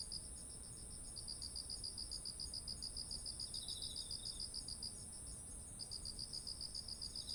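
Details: Autumn insects calling by heavy-eared ripe rice fields, captured with a ZOOM H1essential: a rapid train of bright, regular chirps rides over a constant high ringing trill. A brief lower buzz comes midway, and the chirping breaks off for a moment before resuming.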